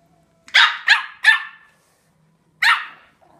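A Yorkshire Terrier puppy gives three quick, high, sharp yaps, then one more after a short pause.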